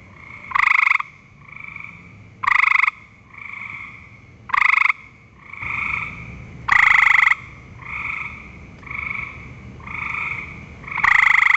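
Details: A gray treefrog on a cottonwood at a vernal pool in Ohio repeats loud, ringing, musical trills about half a second long, roughly every two seconds, while fainter treefrogs call in between, alternating near and far.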